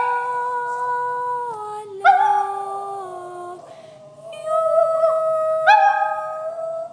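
A toy poodle 'sings' in long, held howling notes that step down in pitch, then rise again.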